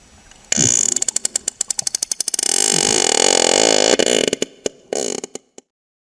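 A sperm whale clicks in sharp, knocking trains that speed into a rapid buzz, then slow again.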